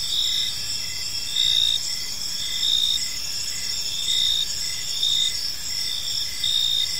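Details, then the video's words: Crickets chirp in a serene evening park, high continuous trilling from several insects with a louder caller's clear bursts returning irregularly every second or so, faint background noise below. "Cricket Sounds in a Peaceful Park"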